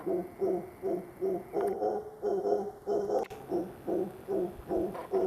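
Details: Mantled howler producing rhythmic throaty grunting pulses, roughly two to three per second, harsh and harmonic, in an even repeated bout with a faint click near the middle.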